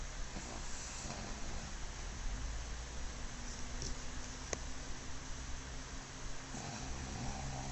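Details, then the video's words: Sleeping black pug Mozuku, new to the household, gives soft, low, rumbling snores, with one breathier snort near the end; faint steady hiss throughout. "黒パグもずく いびきをかく"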